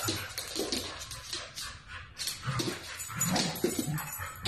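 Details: Siberian Husky puppies, pet dogs: short whimpering and yipping calls, uneven and overlapping across a few seconds, with household noise behind.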